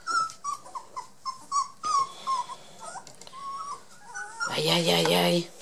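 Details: Border Collie puppies Yack and Star, 23 days old, blue merle and black-and-white, give a run of short, thin whimpering squeaks that fall slightly in pitch and repeat several times a second, ending in a louder, rougher cry.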